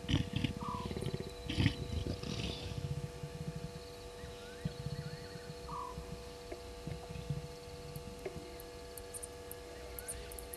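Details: Leopards, the male Tingana and a new female possibly Luna from Buffelshoek, mating at Gowrie dam waterhole, Djuma Game Reserve, Sabi Sand, South Africa, 02:06 on 10/07/19; low rough pulsed growling bursts early, then softer rumbles, over frogs, insects and whistles.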